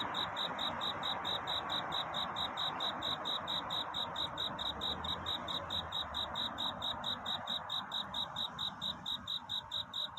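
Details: Cricket singing to find a mate on a night before dawn: a steady run of short, high, bright chirp pulses, about two per second, over a constant broad background hiss.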